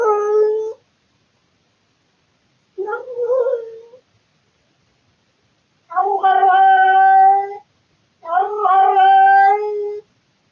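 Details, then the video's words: At night indoors, a bored male pet cat recorded by a surveillance camera gives four separate yowls: two short wavering cries, then two longer, steady, loud, harmonic-rich wails a few seconds apart in a quiet room. "Cat makes weird sounds in the middle of the night"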